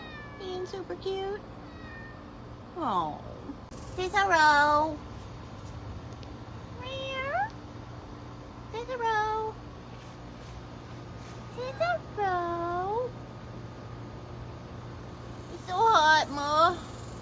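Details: Outdoor cats at a colony of more than sixty cared-for cats on a hot summer day, July 19, 2022: repeated rising-falling meows every two to three seconds, several overlapping, with a steady high electrical whine and occasional talking.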